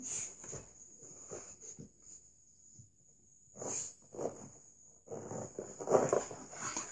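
A Staffordshire Bull Terrier gives a series of gruff, breathy growls and grumbles, each lasting under a second and bunched in irregular runs. A thin, steady high-pitched whine runs underneath throughout.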